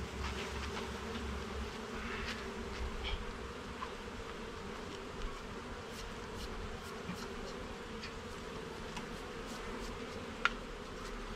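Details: Steady humming of honey bees in an opened garden hive while its levels and frames are checked, faint ticks and one crisp click near the end.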